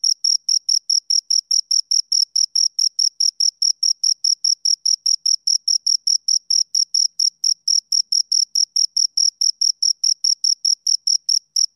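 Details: Two crickets producing a fast, unbroken series of sharp, high-pitched chirps, steady in loudness and tempo, about four each second; silent background otherwise.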